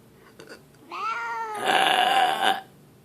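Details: Leo, a grumpy pet cat that yowls out of the blue, gives a short, steady, moaning yowl, followed at once by a loud, rough human burp aimed at him.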